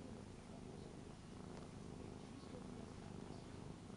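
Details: Indoor Ragdoll, aged three, sprawled in front of someone packing for a trip to Hong Kong and acting clingy and lonely; LUMIX camera recording. Continuous deep, even purring with no other clear sounds.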